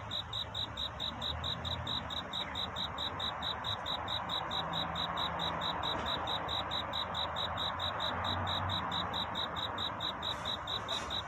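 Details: Cricket calling for love in the night before dawn, a bright, ringing chirp repeated rhythmically a little over twice each second, unbroken throughout, with a faint steady hiss and low hum behind it.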